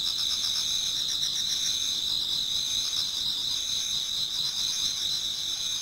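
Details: Numerous autumn insects in a Japanese garden singing before dawn: bright continuous high trills overlaid with quick, uneven pulsed chirps, about four per second.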